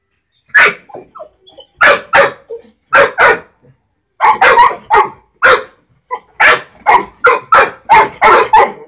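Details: Labrador Retriever puppies barking: short, sharp, harmonic yaps, some in quick pairs, about sixteen over nine seconds with brief pauses between bursts.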